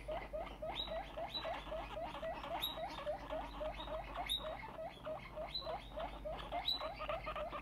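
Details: Very excited female guinea pig, no longer small, squeaking nonstop: sharp rising high-pitched squeals repeated about three to four times per second in an uneven, urgent run, with a low steady hum underneath.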